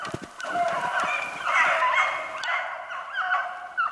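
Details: A pack of Beagles running a snowshoe hare on 3/8/16. The dogs' baying merges into a continuous chorus of overlapping harmonic howls with wavering pitch and no clear gaps.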